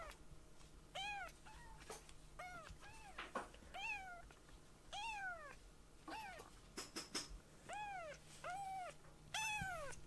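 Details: Baby rescue kittens moving about a room after napping and nuzzling their mother; sharp, bent meows of varying length, some short and clipped, others drawn out, interspersed with clicks and bumps from play.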